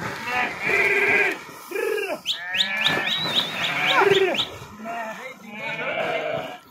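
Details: Farmers push their sheep to cross a river, where the flock swims; dense bleating fills the recording, with long tremulous cries and a burst of short, high, repeated bleats near the middle.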